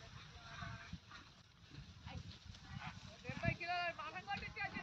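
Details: Goat bleating outdoors: a wavering, quivering bleat rises late in the recording and holds for about a second, over a background of people talking and rural noise.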